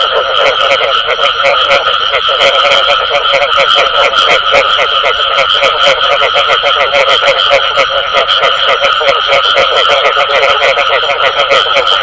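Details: A chorus of frogs giving the Vietnamese-described "bù tọt" call: rapid pulsed croaks repeated without pause, densely overlapping at even loudness, backed by a steady electronic-sounding tone.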